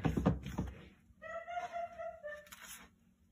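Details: House cat meows once, long and level with a slight dip at the end. It comes after a burst of human voice and knocking, and a short second cry follows it.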